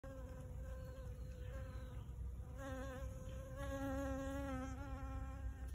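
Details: Blue-banded bee at Port Kembla: a steady, low, harmonic-rich hum that grows louder and fuller after about two and a half seconds, over a constant low background rumble.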